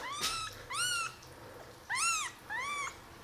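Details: Five indoor kittens, 11 days old, on the day they first opened their eyes; four thin, high mews, each arching up then down, with short gaps between, and a soft voice nearby.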